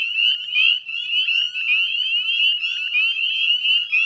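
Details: Northern spring peepers in full chorus at dusk, West Chezzetcook, Nova Scotia, Canada, May 2020; a shrill continuous mass of short rising peeps, loud and unbroken throughout.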